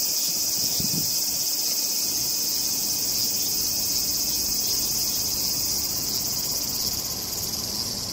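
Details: Hyalessa maculaticollis cicada, filmed in close-up while resting calmly during feeding, produces a dense, steady high-pitched buzzing drone that holds unbroken for the whole stretch, with only faint low rumbles underneath.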